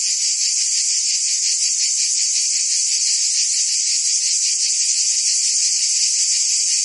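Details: Many cicadas calling together on a summer day in Provence, France, producing a constant bright, sizzling drone with quick rhythmic throbbing beneath it and no breaks.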